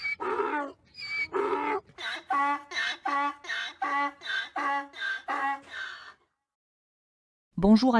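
A donkey brays in a run of harsh, rhythmic, honking pulses, followed by a voice starting to speak.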